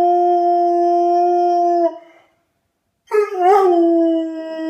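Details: A Rottweiler "sings" along to familiar melodies or jingles, howling in long, steady tones, then breaking into a wavering, yodelling howl after a brief pause.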